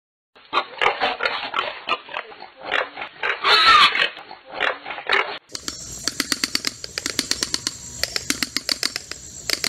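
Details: Peccaries give rough, pig-like grunts and squeals in quick bursts, then a rapid, rhythmic run of dry clicking pulses follows, likely a second recording.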